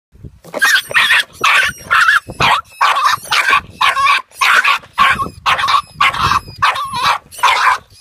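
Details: A 10-week-old female Jack Russell Terrier puppy, seeing a rat for the first time, barks at it persistently: sharp, high yapping barks in quick bursts, roughly two per second, with brief gaps between.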